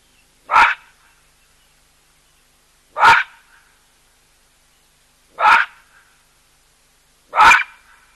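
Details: At a drinking place shared with a cheetah and an elephant, a baboon gives four loud, harsh barks, each short and explosive, spaced about two to two and a half seconds apart, with near silence between.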